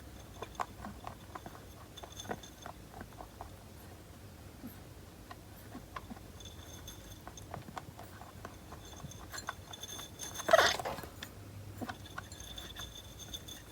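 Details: A pet rabbit makes soft, odd, alien-like clicking and ticking sounds, then one sharp sneeze; it sneezes often and is under veterinary care.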